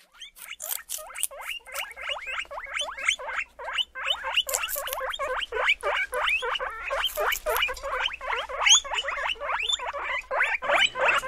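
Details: Guinea pigs squealing in a rapid, continuous series of short high squeaks, each rising then dropping, several per second, growing louder and denser over the stretch with no other clear sounds.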